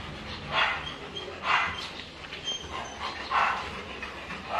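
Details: Labrador Retriever during a stud (mating) session, giving four loud, harsh barks spaced irregularly about a second apart, with low background noise between them.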